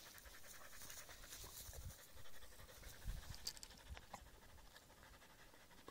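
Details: Husky named Aiza with reeds, panting in quiet, uneven breaths, a little over one per second, with low rumbling handling or wind noise underneath.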